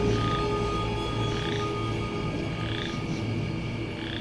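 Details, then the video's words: Chorus frogs, possibly boreal or western chorus frogs, trill in a dense, rapid chorus of rasping calls amid crickets, grasshoppers and likely katydids at night in autumn, in swampy farm-field wetland near a boardwalk. "So, not only do we have these insects, we have chorus frog as well too."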